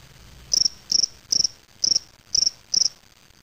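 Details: Spring field cricket (Gryllus veletis) kept in a small cage, collected May 25, 2007 in Waterloo, Ontario, Canada. Six short, high-pitched pulsed chirps, each a quick trill of about four pulses, repeated roughly every 0.4 seconds over a quiet background.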